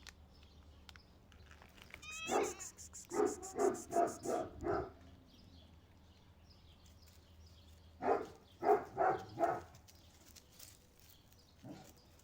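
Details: Three street cats, mainly a hungry Siamese, meow loudly in short, insistent bursts, asking for their lunch, while a large dog barks nearby.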